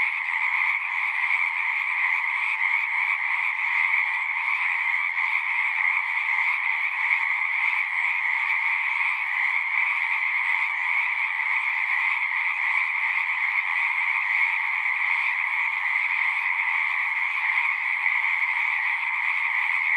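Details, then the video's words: Many frogs sing together in a constant, seamless chorus, a droning mass of high trilled croaks that never lets up, with the texture shimmering slightly throughout and nothing else audible. "One hour of singing frogs."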